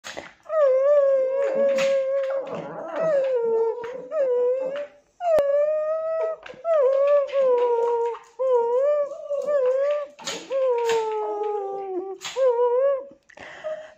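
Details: Tibetan Terrier dog indoors giving long wavering howls and whines, repeated bouts of sustained tonal cries with slight pitch bends, separated by short pauses.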